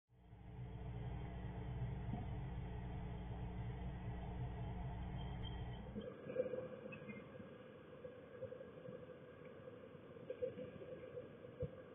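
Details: A steady low engine rumble fills the first six seconds, then gives way to quieter background noise with a few faint knocks and no animal voice.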